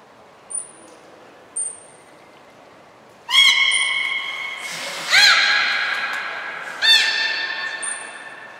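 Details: Captive belugas Hodoi, Taanya and Mirai at Port of Nagoya Public Aquarium, 14 March 2021, during pool moves and training: a few short high whistle notes, then three loud, rich harmonic calls, each opening with a pulsed burst and holding a steady tone.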